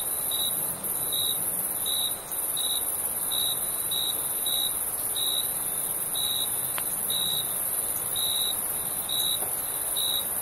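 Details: Summer crickets chirping in the night: brief, bright, high chirps come at a steady pace about once a second through the whole stretch. A continuous piercing high insect whine and faint broadband hiss sit behind them.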